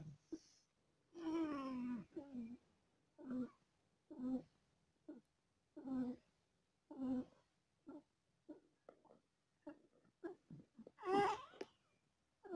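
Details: Domestic cat giving birth to four kittens and in pain, indoors in a small room: a long wavering moan early on, then a run of short mews about once a second, ending in a louder drawn-out cry.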